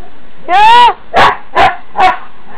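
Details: Pet huskies indoors in the morning, vocal because they need to go out: one long wavering howl-like moan, then three shorter rising yowls in quick succession.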